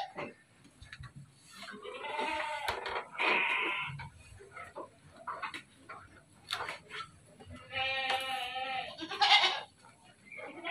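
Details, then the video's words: Farm dairy goats in Bogor give two bursts of strained, harmonic bleats several seconds apart, with clicks, thumps and a little human speech between them. "KAMBING PERAH"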